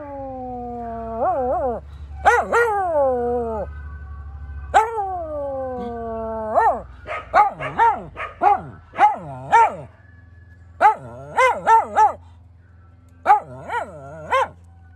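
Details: Pet Cairn Terrier howling in response to a passing scrap metal truck, mixing wavering arched howls with a rapid series of short rising yelps and barks, repeated roughly every half second in bursts, over a low rumbling drone.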